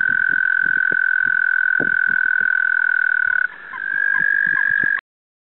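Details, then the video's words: A male American toad (Anaxyrus americanus), recorded in spring 2015 in New York, gives a long, steady, high musical trill that holds one pitch without pause. "American Toad Calling"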